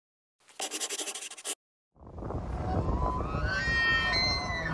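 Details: A bull elk (Cervus canadensis) bugles during the autumn rut, the mating season. Its low, rough growl climbs into a high, squealing whistle, a call males give to attract a female or to communicate with the herd.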